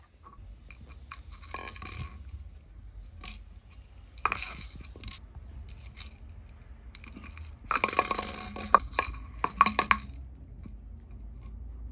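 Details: Clinking, scraping and crunching from toys and objects being handled indoors, with soft rustling and a low hum, and no animal voice heard.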